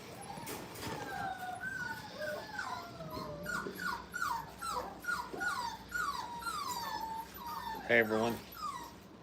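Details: Five-week-old kennel puppies at play: a long string of high, falling whimpers, each dropping in pitch, repeated about every half second, then a sharp loud yelp; a person talks in the background.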